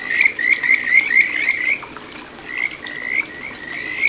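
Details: Kajika frog song from a small stream in Chiba's Ichihara satoyama, 9 June 2022: bright rising whistled chirps in a fast burst, then a softer, slower run of similar notes, with water murmuring behind.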